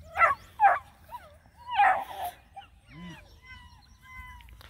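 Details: Nine Black and Tan Coonhound puppies on a hike around a pond: two sharp high yelping barks, then a louder bark near two seconds, followed by thin rising whines and squeaky whimpers trailing off.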